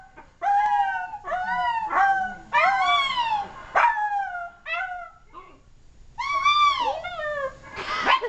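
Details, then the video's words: Silky terrier howling: a string of varied wails and yelps, some sliding up, some falling, with a short pause midway before a longer wavering howl and a final yip. "My silky terrier, howling!"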